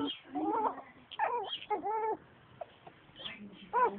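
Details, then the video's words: Six-week-old Yorkshire Terrier puppy playing, May 2011: a run of short, high, arching yips and whiny cries, several close together in the first two seconds, then a quieter pause before one more sharp yelp near the end. "Six week old Yorkie puppy playing"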